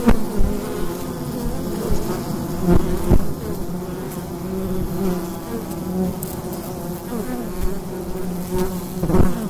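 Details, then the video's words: Daytime buzzing at the mouth of a wild beehive in autumn, captured by a recorder placed at the entrance; dense continuous low hum of many bees, with repeated swelling buzzes as single insects pass near, and a few soft knocks. "Wild Bee Hive in the Daytime - ambient sound"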